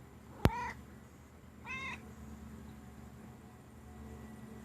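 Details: A 4-year-old male silver Bengal cat gives two short, clipped meows, talking back after being repeatedly scolded for biting.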